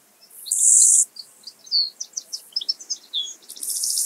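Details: Two-coloured Grasshopper in Illmitz, Austria, 21 July 2021: a high, hissing buzz lasting half a second, then a run of short, sharp ticking pulses, and another buzz starting at the end.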